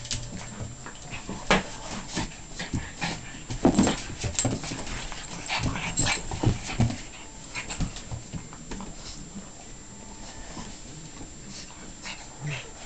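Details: Frisky Pekingese at play with a golden retriever: scrappy growling bursts and snuffly snorts come thickly in the first eight seconds, then thin out into quieter scattered grumbles.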